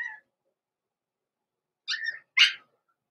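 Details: Young blenheim Cavalier King Charles Spaniel puppies in an indoor home puppy pen at Christmastime, born November 14, 2022: three sharp, high-pitched yipping barks, one short at the start and two more close together after a pause, in otherwise quiet surroundings.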